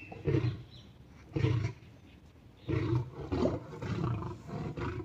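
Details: Lame lion in a fight with a tiger, which it forces to submit; four deep, rasping roar bursts separated by short pauses, the later ones longer and drawn out.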